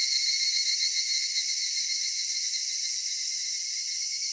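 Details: A cicada chorus in a cedar forest at summer evening, slightly louder at the start, then an even, high, ringing hum of overlapping voices that never pauses.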